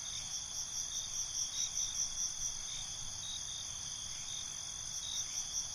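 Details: Night-time cricket chorus, continuous high shrill trilling with regular pulsed chirps rising and falling about twice a second across the recording, soft low rumble underneath.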